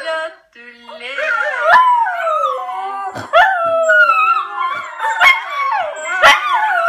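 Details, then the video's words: Miniature Schnauzer howling in response to howling heard from a phone, long wavering yodelling howls that rise and fall, with sharp clicks and another howling voice overlapping throughout. "Schnauzer howling"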